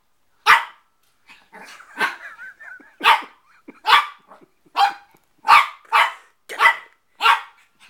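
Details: Young Shih Tzu, a four-month-old male puppy, barking at his mirror image during play: eight or so shrill barks in quick succession, broken early by a brief whiny, growly murmur.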